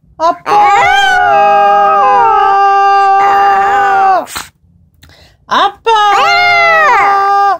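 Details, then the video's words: Black-and-tan long-haired Chihuahua Mingki lifts her head and answers her caller with long unbroken howls, nearly four seconds of held tone, a pause, then another steady rising howl, in a quiet room. "아빠 부르면 고개들고 대답하는 밍키양"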